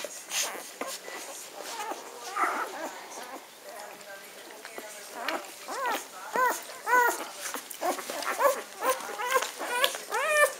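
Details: Magyar Vizsla puppy litter, 17 May 2015: short squeaky whimpers and yelps, quick and irregular, growing denser toward the end, mixed with human speech and handling noises indoors.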